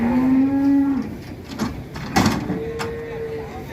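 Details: Agitated cattle being loaded onto a truck give a long, steady low moo lasting about a second, then a thinner, higher drawn-out moo after a pause, with clattering bangs and a voice between them.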